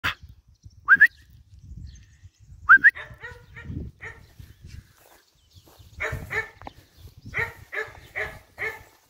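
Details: Young female German Shepherd–Malinois cross dog, about one year old, medium size, described as sweet and energetic, in Latina province, Italy; high whines and whimpers at first, then bursts of harmonic yelping grunts in later seconds, with a woman speaking Italian.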